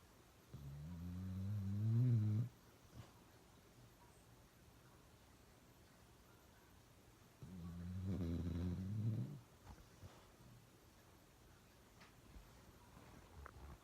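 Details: Uno, a pet dog, snoring loudly: two long, rough, low rumbling snores about two seconds each, separated by roughly five seconds of quiet breathing, with faint small clicks in between.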